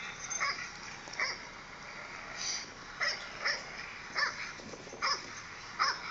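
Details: Young Dogo Argentino, seven months old, reacting to footage of himself with high, yipping barks that come in irregular bursts, a few closely paired, separated by brief quiet gaps over steady low hiss.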